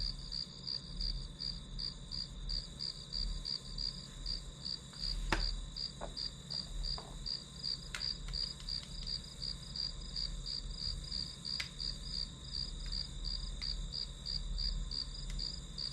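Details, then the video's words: Grass insect chirps used as white noise during a study session: rapid high pulses repeating evenly throughout, with a few sharp clicks and taps from the room around six and twelve seconds. "풀벌레 소리"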